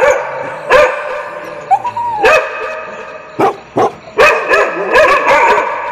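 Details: Several dogs barking for training dogs to tolerate other dogs' barks: loud overlapping harmonic barks in bursts, with a rising whine-like yelp in between and rough clustered barking toward the end.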